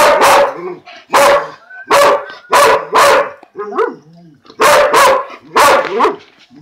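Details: Male purebred Dalmatian barking while having his lunch: a run of about seven loud, sharp, harmonic barks roughly every half to one second, with short whining yelps between them.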